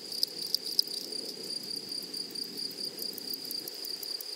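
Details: Grasshoppers in a flowery meadow: a steady, high, thin insect whine holds one pitch throughout, overlaid with faint rapid ticking higher up and a few louder clicks early on, with soft low rustle beneath.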